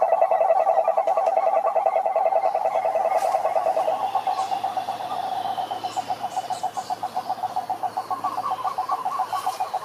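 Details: Pond chorus of many frogs singing in nature, rapid pulsed croaking in a dense mid-pitched band, individual pulses becoming more distinct and rhythmic toward the end, faint brief higher noises in the background.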